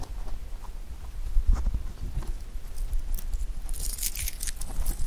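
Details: A rabbit eating clover makes soft, rapid crunching and nibbling sounds close to the microphone.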